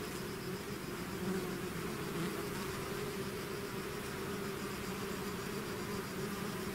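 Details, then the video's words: Honeybee-type swarm pouring out of its hive, a dense steady drone with bright hum bands near the low-middle register, continuous and even in loudness throughout, no other sounds standing out. "bees therapy swarm natural buzzing sound"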